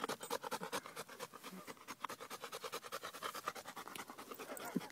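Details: Quick, even panting from Marley, a male bullmastiff crossed with a bull terrier, tired out after running a mile in hot weather: dense breathy huffs at about three per second with no other sounds.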